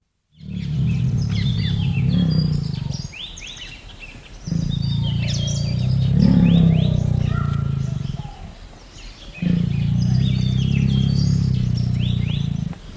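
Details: Tiger giving deep, rumbling growls in three long bursts of about three to four seconds each, separated by short pauses, with small birds chirping and twittering in the background.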